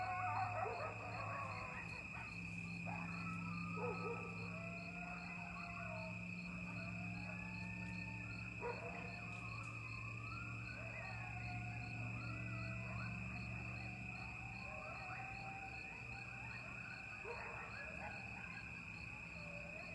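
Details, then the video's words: Coyotes at Lake Mendocino, recorded late at night in mid-October 2022 from a porch overlooking the lake: a dense group chorus of wavering howls and yips sliding up and down, over a steady high whine and low droning hum. "Coyotes (Canis latrans) at Lake Mendocino Like I’ve Never Heard"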